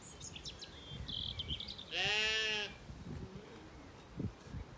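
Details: Evening in an orchard in County Kilkenny, Ireland: one of the recently weaned Zwartbles lambs gives a loud, drawn-out, tremulous bleat, while small birds chirp high in the background before and after.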